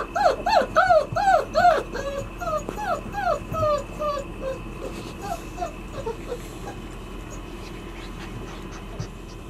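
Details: Thirty-three-day-old White Swiss Shepherd puppies in the puppy cubby whine in a quick series of loud arched whimpers that fade into softer, sparser cries, with light background noise.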